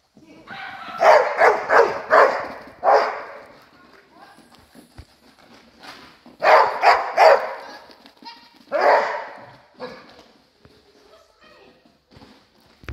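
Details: Border Collie during hoopers training barks in loud, harsh bursts of three to four rapid barks, with pauses of a few seconds between bursts and quieter rustling in the gaps.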